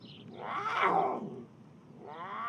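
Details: A captive female puma in heat at a sanctuary near London gives a loud, drawn-out wail, a mating call announcing she is ready to breed, directed at the male sitting beside her. In the wild it carries for miles.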